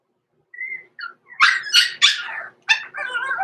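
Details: Six-week-old blenheim Cavalier King Charles Spaniel puppies Roman and Blue, born November 14, 2022, overnight in the Red Barn Cavaliers puppy pen: thin high whines give way to a run of sharp, harsh yips and a wavering whimper.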